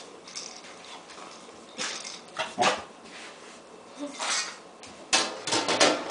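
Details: Excited six-month-old female rescue puppy, a mixed breed thought to be German Shepherd, Husky and Beagle, indoors waiting for breakfast; short whining yelps and low whimpers come in bursts amid clattering, with a person talking to her.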